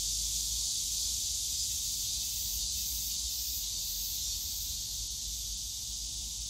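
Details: Cicadas on a summer day in the bamboo grove of Yongsan Family Park, a dense, unbroken high-pitched hissing buzz that holds steady throughout, with a faint low rumble of park noise underneath.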